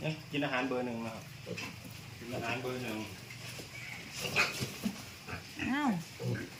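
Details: Piglets being moved into fattening pens on a pig farm give rising-and-falling harmonic squeals, one sharp arched squeal near the end, over steady farm noise with people talking throughout.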